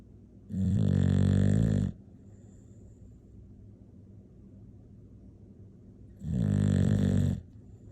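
An English Bulldog snores with deep, rattling rasps that come several seconds apart.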